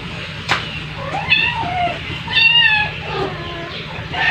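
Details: Rescued domestic cat named Bunso at play time with her babies; a few short, high, wavering meows with clear overtones arrive about a second apart, over a steady low hum.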